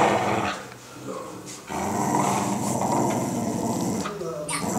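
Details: Pit bull tussling with a toddler over stuffed toys, giving low, rough growls in uneven bursts that break off briefly near the start, with children's voices mixed in.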